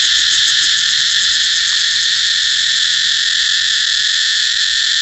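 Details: Cicada buzzing steadily in a brief burst, a high, unbroken rasping drone with fine rapid pulses and nothing else audible.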